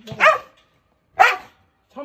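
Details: Two abrupt, raspy barks a second apart from a biting, aggressive abandoned Jindo being handled for transport volunteering at Ulsan's Narae-ul Center, former Mindeulle Shelter.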